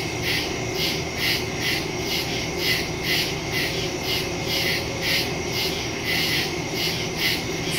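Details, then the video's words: Nighttime woodland crickets, captured September 2, 2023 with a Shure MV88+ stereo mic on a Samsung Galaxy S22 Ultra: continuous shrill chorus with regular pulses about twice per second, layered high buzzing, no other clear sounds. "Crickets in the woods at night"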